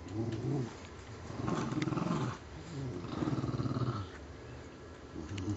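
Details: Puggles Scarlett and Spike in a tug-of-war game over a filthy stuffing-less toy squirrel indoors; deep throaty growling rises and falls in long pulsing stretches of about a second each, with brief pauses between.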